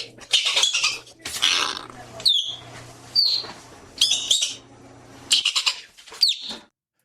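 Arctic ground squirrel giving about five harsh, high chattering bursts mixed with sharp chirps, roughly one each second, with a faint hum behind.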